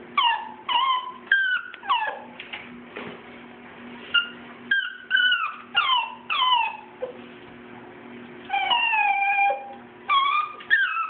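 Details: Schnauzer puppies about two months old, Bam Bam and T.J., whimper during a bath ahead of their first schnauzer cut; quick falling yips and drawn-out whines repeat in irregular bursts over a constant low electrical hum.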